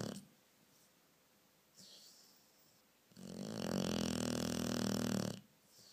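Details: Domestic dog asleep at night, snoring very loudly: a faint short snort, then one long harsh, vibrating snore lasting over two seconds with deep buzzy tones, followed by quiet breathing.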